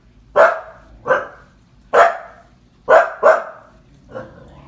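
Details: Frightened seven-month-old Husky, barking at a clown from IT shown on a paused TV: five loud, clipped barks, two nearly back to back, closing with a softer throaty groan.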